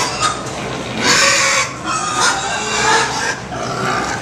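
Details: Pigs at the 2017 Minnesota State Fair, likened to crying babies, squealing while being washed. Loud, harsh, noisy squeals in bursts lasting about half a second to a second, separated by short pauses, with a person's voice nearby.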